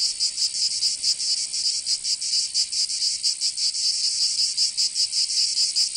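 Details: Cicadas singing in summer in Provence, southern France: a dense, buzzy high-pitched chorus pulsing in rapid, slightly uneven throbs, about two to three per second, with no other sounds.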